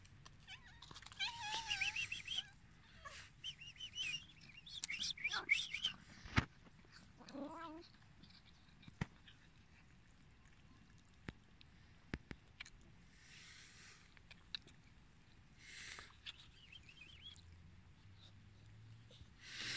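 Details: Hungry abandoned cats calling: several loud, wavering meows in the first eight seconds, some with rising and falling pitch, then quieter scattered meows and clicks, with faint background noise.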